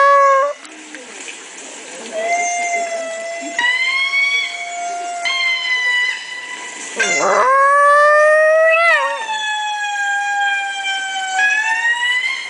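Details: Chihuahua named Bambi howling indoors in response to lemur calls played from a laptop: long, steady, harmonic howls with a sharp upward glide midway. The lemur calls run alongside, with a brief spoken voice.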